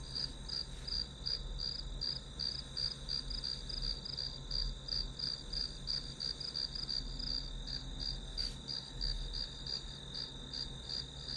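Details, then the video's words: A long run of grass insect chirps for studying: a high trill pulsing about three times a second without pause, a steady low hum beneath, and one brief sharp click near the eighth second. "풀벌레 소리"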